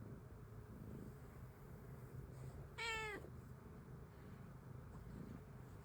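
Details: Domestic cat likened to a fennec fox giving a single short, clear meow near the middle, slightly falling in pitch, over steady low background hum and room noise.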